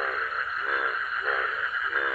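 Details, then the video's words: Frogs calling at midnight in a quiet village: a dense, continuous chorus of pulsed, rattling croaks that swell roughly every half second, with no other sound. "ব্যাঙের ডাক ছাড়া কোনো শব্দ নেই,"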